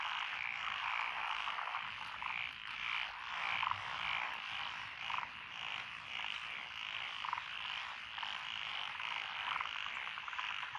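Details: Lotus rice paddies along a rural road in Echizen, Fukui, Japan, 12 June 2021: a massed chorus of tree, pond and wrinkled frogs gives a constant raspy trill, with sharper croaks popping out roughly every second.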